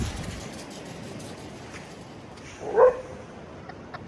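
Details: Lurcher at play by the beach, one of a pair, lets out one brief bark near the end of a stretch of soft wind and surf noise.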